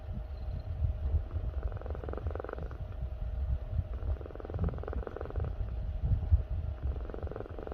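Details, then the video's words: House cat snoring in its sleep. Gentle nasal rasps repeat about every two and a half seconds, three clear breaths over a deep background drone. "코 고는것도 귀여움"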